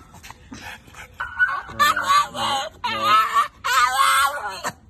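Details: A French Bulldog gives high, squeaky, tonal whines in three drawn-out bursts while out walking with its owner.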